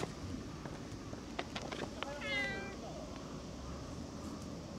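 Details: A cat gives one clear, drawn-out meow with a rich harmonic tone about midway through, preceded by a few sharp clicks and taps over a steady background hum.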